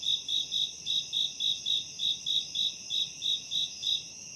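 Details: Crickets in a forest at a campsite trill in short, bright pulses, about three per second, over a faint steady high hiss.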